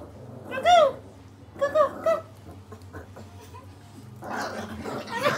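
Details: Pomeranian and Poodle wanting hugs, indoors: two high, wavering whines that rise and fall, the second broken into short yelps, followed by people talking.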